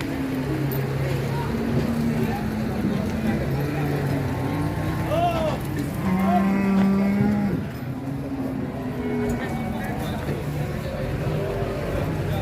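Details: Cattle at a crowded livestock market in Ngawi, Indonesia, where trucks are being loaded with purchased cows; a drawn-out low moo swells around the middle, over constant crowd chatter, shouting, engine rumble and background music.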